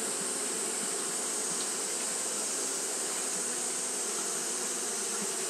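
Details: Steady wing-fanning hum from Japanese honey bees on a hot day, a low continuous drone with faint flickers of individual buzzes, beneath a persistent high hiss.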